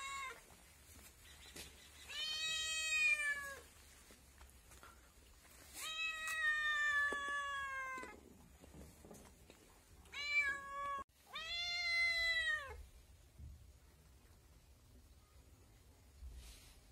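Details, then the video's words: Kitten crying with four long, bright meows, some nearly two seconds, strongly harmonic and slightly wavering, spaced by short pauses, then quiet with faint background noise toward the end. "बिल्ली के बच्चे की आवाज Kitten Sounds"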